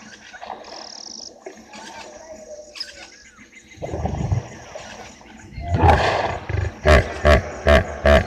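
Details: Hippopotamus at the edge of Gowrie dam, Djuma Game Reserve, Sabi Sand, South Africa, at 17:25 on a July evening, marking the wall; deep rumbling grunts build into a series of five rhythmic, loud honking bursts.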